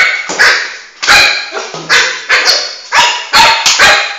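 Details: Flame, a Shih Tzu puppy about four months old, excitedly chasing his ball around the house; sharp, high yappy barks come in a rapid burst, about ten in four seconds, loud and close indoors.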